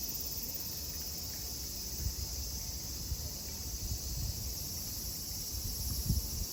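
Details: A loud, unbroken high cicada drone fills the grounds of Kozoji Temple, known as Takakura Kannon, in Yana, Kisarazu, Chiba, Japan, over a softer bed of low rumble and occasional taps.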